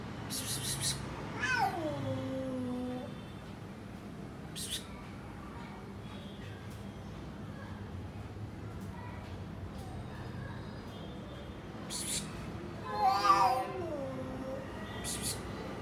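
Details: Domestic cat meowing: two drawn-out, falling meows early on, another pair of descending meows near the end, with a person calling the cat to come here and short clicks between.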